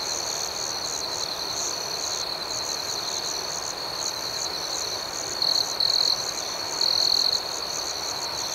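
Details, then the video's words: A night cricket chorus keeps up a shrill continuous trill with fast rhythmic pulsing. Toward the end, a nearby cricket adds several louder, clipped bursts in quick succession. "Soothing Cricket Sounds"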